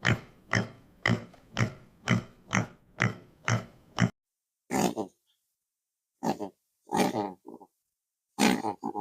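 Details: Domestic pig oinking: a run of about eight short, evenly spaced, rough grunts over four seconds, then after a pause a few longer, irregular, throaty grunts separated by silence.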